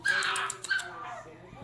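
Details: Pet Chihuahua among dogs named Milo, Quentin and Dixie, 'saying hello' in greeting: two short, high, nasal whines with thin overtones, the second sliding downward and fading, while a woman's voice coaxes in the background.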